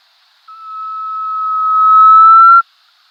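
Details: A desert rain frog, an arid-area frog, gives a single pure, steady whistle of about two seconds, rising slightly and swelling before cutting off; it is easily confused with a buff-spotted flufftail.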